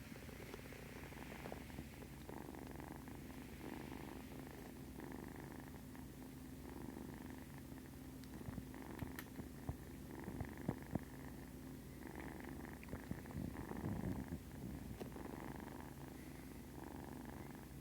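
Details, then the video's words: Several kittens purring while nursing, a steady low continuous rumble throughout, with faint rustling and a few small clicks in the middle. "Zoom in here so you can hear these kittens uh purring while they're nursing."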